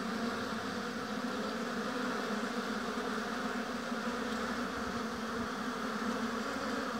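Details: Honey bees at a hive in an apiary fill the air with a dense, steady drone, an unbroken low hum with a strong band near the bottom and a fainter hiss above. Nothing stands out from the even wash of buzzing.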